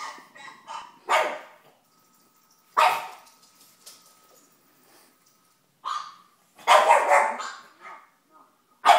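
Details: A female pug puppy watching her favourite TV show lets out scattered barks and yaps. The loud bursts come irregularly, with softer sounds, possibly from the TV, in the gaps and a faint steady tone midway.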